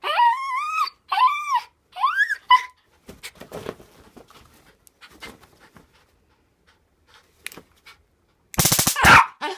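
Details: Excited nine-year-old dog going crazy, wanting to get her paws on a taser indoors: a run of high, rising-and-falling whines, then quieter breathy panting and snuffling, ending in a loud, harsh burst.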